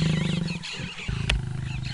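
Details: Lion vocalising at a wildebeest carcass where a dominant male mated a feeding lioness; deep, loud pulsed growling roar with strong low harmonics, repeated rapid pulses across nearly two seconds, a brief sharp click midway, no other voices.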